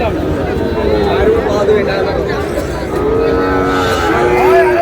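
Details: Sahiwal cattle, a bull calf breed, at a busy livestock market in Chattogram, Bangladesh, on 18 May: a drawn-out, steady low moo rises above constant crowd chatter and bargaining voices in the second half.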